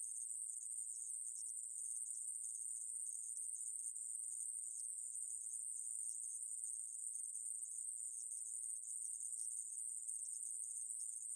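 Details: Ae-maeburi conehead katydid, an insect recorded in 2020, producing a steady, sizzling, very high buzz that never breaks, with slight grainy variation and nothing else audible.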